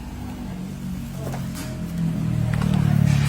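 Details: A low vehicle engine rumbles steadily and grows louder toward the end, with faint background sounds and no animal voices heard.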